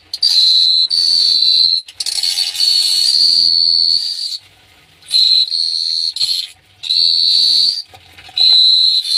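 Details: Crickets at night in Phteah Prey give a sustained, shrill high trill in bursts of one to two seconds, separated by short silences, with faint low rumbling between bursts.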